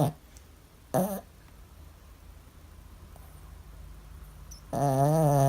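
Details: Zoey, a female Maltese x Shih Tzu dog, sleeps deeply after a long walk and run in the park. Short, low, buzzing snore bursts at the start and end, separated by quiet breathing.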